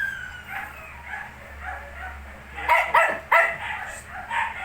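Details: Shih tzu puppies, 19 days old: soft, high whimpering whines drift through the first half, then three sharp, bright yips burst out in quick succession near the end, followed by another faint whine.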